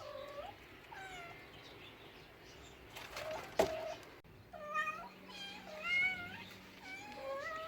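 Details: Cat giving a series of short, wavering meows, some rising and some dipping, scattered irregularly, with a sharp click near the middle and faint background hum.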